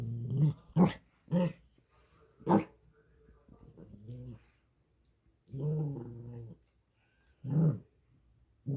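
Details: Maltipoo puppy kept as a pet, growling indoors in a string of short, low, throaty grumbles, some clipped and bark-like, others drawn out, separated by brief pauses.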